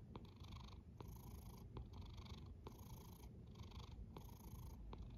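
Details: Snoring cat with a low, even rumble and regular breathy exhalations roughly once a second, some faint ticking between breaths.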